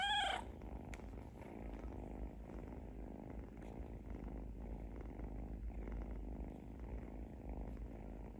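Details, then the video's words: Sleeping kitten snoring: a steady low rumble made of fast fine pulses, continuous throughout and steady in loudness, opened by a brief high thin squeak in the first half second. "Adorable Little Kitten: Listen to their Adorable Snoring"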